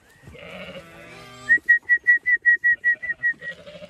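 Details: Zwartbles sheep in a flock heading out for late afternoon grazing on a County Kilkenny farm, Ireland; a long, quavering bleat, then a quick run of about ten evenly spaced whistled notes, and another bleat to close.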